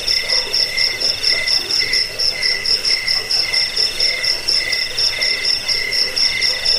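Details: Several crickets calling together, a track used against rats, as a lullaby and for bird song training: bright jingling high trill over evenly spaced chirp pulses, a regular swelling rhythm without other sounds.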